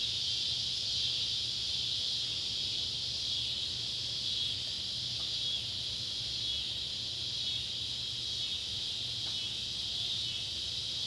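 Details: Cicadas of two species, Neotibicen pruinosus and Neotibicen tibicen, calling at sundown near an old tobacco barn, Ballard County, Kentucky, July 31, 2013; a continuous piercing high drone with slight wavering in intensity, and a quiet low hum underneath.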